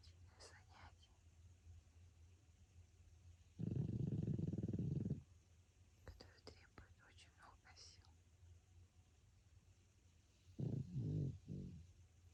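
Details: Francois, a sleeping pet pug, snoring: two low, rough, rumbling breaths, one long, the other broken into short pulses. Soft whispering and faint clicks fill the quiet spaces between them.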